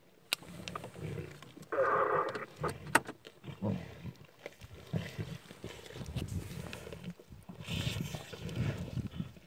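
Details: Wild lions from a pride of six feeding on a freshly killed warthog at dawn on Kwandwe Private Game Reserve, Eastern Cape, South Africa, recorded by phone. Deep rumbling growls and snarls come in uneven bursts, with a louder harsh snarl near the start.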